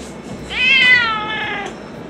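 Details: Seaside stray cat, waiting for its meal as night falls, gives one long meow that starts sharply and slowly trails downward over about a second, against faint background hum.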